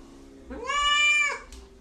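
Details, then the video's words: House cat in a room letting out a single short, bright meow lasting under a second, rising at the start and falling at the end, with low room hum behind it. "Funny Talking Cats"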